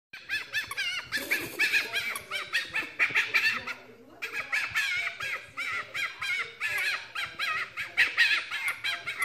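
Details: Lucy, a pet fennec fox, responding happily while being tickled with belly scratches: rapid, high-pitched chattering squeaks in dense bursts, a brief pause near four seconds, then renewed squeaky chatter.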